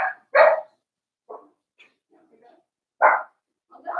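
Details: Four-week-old Cavalier King Charles Spaniel puppies from Daisy's litter in their indoor pen, giving short high yapping barks in separate bursts, a few quieter squeaks and yips between them.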